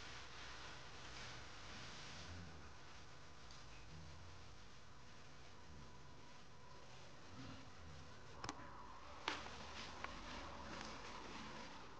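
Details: Quiet indoor room hush with a few soft ticks and clicks near the end, no animal sound present.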